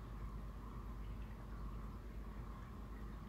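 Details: A steady low rumble like passing vehicles fills the scene, with no animal calls heard.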